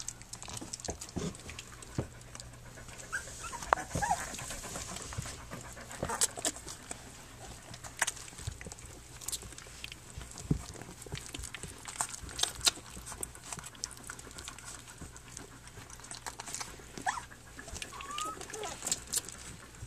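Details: Three-week-old puppies of the dog Flute nursing and playing on their three-week birthday; soft, breathy broadband huffs and rustling scattered throughout, with faint shuffling and no clear voiced calls.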